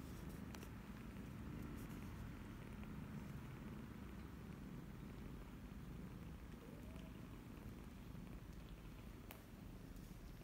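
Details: Soft, low purring drones on without a break while 28-day-old kittens nurse from Laki, their formerly stray new mother, in Cambodia on 28 January 2020. A brief faint squeak and scattered clicks are also heard.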